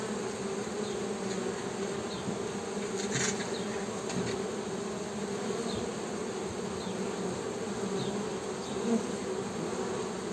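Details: Continuous buzzing hum of honey bees, low and even, with a short burst of higher noise early on and faint chirping overhead.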